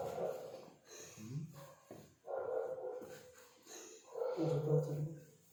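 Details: Sleeping dog snoring with really funny noises: three drawn-out moaning, groaning bursts with a low humming undertone and tonal harmonics, separated by short quiet gaps.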